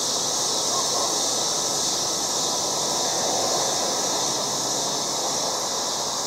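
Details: August yard cicadas calling loudly as a continuous shrill hiss-like buzz, unbroken and even throughout, filling the high range with faint low rumble beneath.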